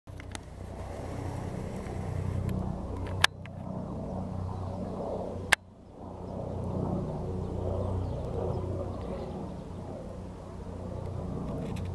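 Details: A steady low rumble of wind or distant traffic with two sharp clicks, and no clear animal voice. No calling toad or other animal stands out from the background.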